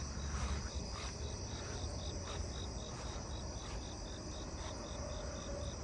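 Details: A Japanese burrowing cricket in a yard on an August night sings short, high chirps repeated in a steady, rapid series.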